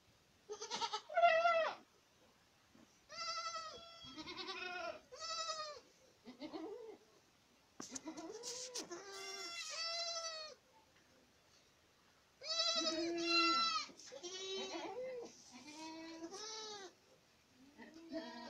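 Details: Boer goats at Acatlán de Osorio, Puebla, bleating in overlapping bursts: several animals give wavering, nasal bleats in clusters, with short gaps between bursts throughout.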